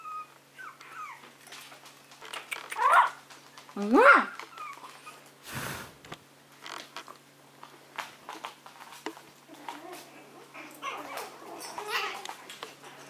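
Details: Little Maltese dogs going about their day: two sharp, rising whimpers a second apart, then scattered softer whines, with human speech, a dull thump and steady low background hum.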